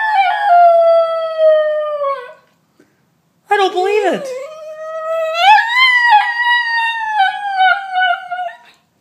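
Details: An Italian Greyhound howls and cries in long, high, wavering notes, upset at being left home while his big sister goes out for a quick walk.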